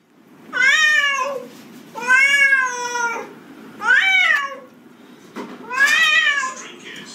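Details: Domestic cat in a bathroom near a bathtub, giving four drawn-out harmonic meows, each arching slightly in pitch and spaced about two seconds apart, with Spanish speech between them.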